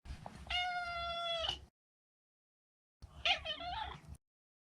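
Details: Neutered male Maine Coon cat: a long, even, tonal meow of over a second, then after a pause a rougher call that wavers and trills up and down before fading.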